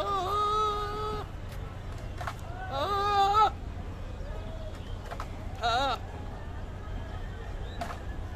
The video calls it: Male Goat Sound